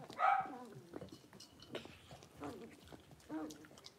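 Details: Six-week-old blenheim Cavalier King Charles Spaniel puppies from a litter of five, born on New Year's, in an indoor puppy pen: a loud high whine opens, followed by several shorter wavering yelps and whimpers that rise and fall in pitch.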